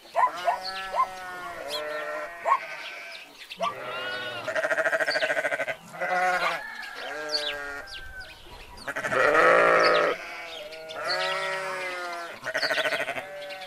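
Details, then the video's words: A flock of sheep with goats keeps up almost constant bleating: overlapping quavering cries, some rising and thin, some coarse and loud, coming in quick succession with barely a gap between callers. "Sheeps, goats and their sounds"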